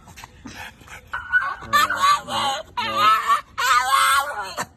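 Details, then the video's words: French Bulldog out walking with its owner, making high squeaky sounds: after a few short soft noises, four drawn-out, wavering, nasal squeals follow one another with brief gaps, each rising and falling slightly. "French Bulldog Makes Squeaky Sound While Walking out With Owner"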